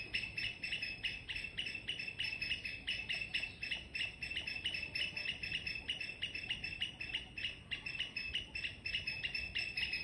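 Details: Squirrel chirping loudly in the morning: a steady run of sharp, clipped chirps, about four each second, bright and metallic, continuing without pause throughout, over faint low background rumble.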